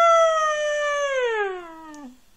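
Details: Pet Siberian Husky howling inside a house, one long pure-toned howl held steady for about a second before gliding down in pitch and trailing off after roughly two seconds.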